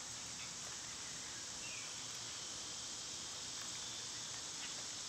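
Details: Summer insect chorus of cicadas, a constant hissing high whine, joined by a faint short bird note and light background rustle.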